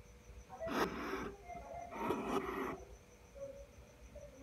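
An angry hedgehog gives two loud, breathy huffs, each a rough hissing burst lasting under a second.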